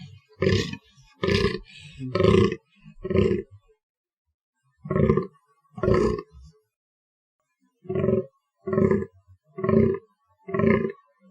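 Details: A fallow deer (Dama dama) gives deep, hoarse, belching grunts, about one a second, in short bursts.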